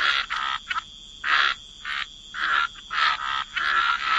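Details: Frogs croaking by the waterside in wetlands: rasping, buzzy croaks of about a quarter second, given in uneven bursts roughly every half second to second, with short pauses between groups.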